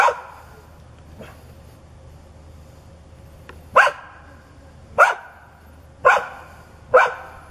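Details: Hostile neighbour's dog that barks, growls and charges when turned away from: a couple of faint distant barks, then four loud, sharp barks roughly one second apart over a steady low hum.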